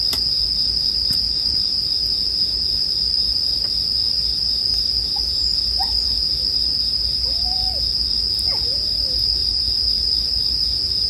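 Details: Unbroken high ringing of many bell crickets, steady in pitch and volume, over low campfire crackling with scattered sharp pops and a few faint short sliding tones in the second half.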